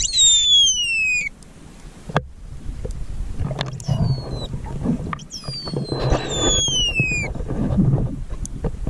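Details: Underwater recording of distressed pilot whales stranded at Macquarie Heads on Tasmania's west coast. Two long falling whistles with bright overtones, one at the start and one later, over murky water rumble and scattered knocks.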